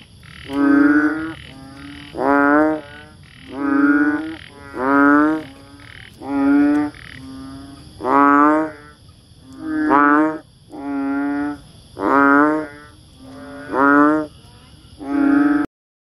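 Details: Banded bullfrog, also known as Asian painted frog, rice frog or bubble frog, repeating loud, deep, bleating croaks about every 1.4 seconds, eleven in a row, joined by softer low tones between them, then stopping abruptly.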